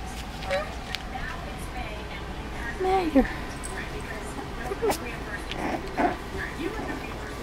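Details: Four-week-old Dachshund puppies learning to play together, giving short curving whines and squeaks, a few clustered near the middle, over a steady hum of background noise.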